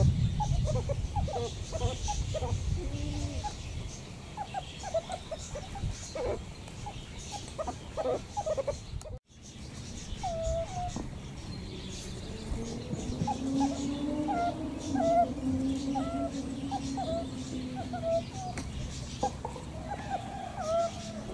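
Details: Meerkats giving many short, squeaky chirps and peeps in a quick, uneven series, about two per second. A long, low, drawn-out tonal hum rises and falls from about twelve seconds on. Steady low rumble throughout, with a brief break near nine seconds.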